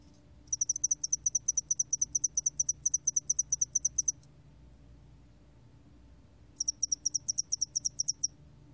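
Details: Spotted-wing hairy cricket, National Institute of Biological Resources, 2020: a long, steady, high-pitched pulsed trill of about three and a half seconds, a pause, then a shorter trill, with faint low background hum.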